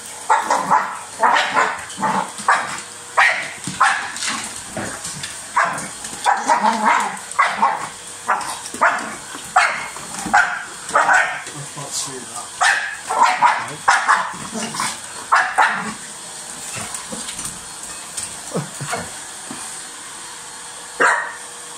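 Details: A dog snapping at a vacuum cleaner barks in a long, dense run of short, gruff, uneven barks for about sixteen seconds, then quietens to a few isolated barks, over a continuous motor hum.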